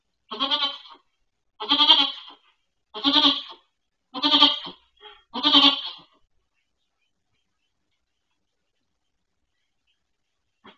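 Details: Goat bleating at Goats of Anarchy sanctuary during the birth of four kids to Maybel, a pregnant doe rescued from a breeder; five high, harmonic bleats about one second apart, then quiet room with a faint knock at the end.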